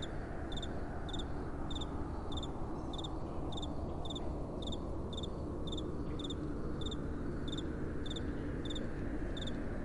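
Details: Night-time crickets chirp in a steady rhythm, each call a quick paired high pulse recurring roughly every half second, set against continuous gentle wind noise.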